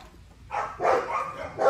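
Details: A month-old Staffordshire Bull Terrier puppy, one of the survivors of a litter of eight, gives a drawn-out wavering whine followed by a short yelp.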